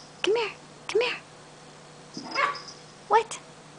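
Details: Chihuahua puppy tucked under a chair, her favourite spot, late at night, letting out short arched whining yips, two close together and one more after a pause, while a woman calls and talks to her.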